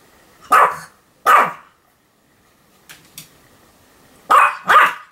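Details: Continuous barking from Sam, a Pomeranian, filmed 7 October 2015: two loud, clipped barks, a quiet stretch with faint soft sounds, then two more sharp barks close together.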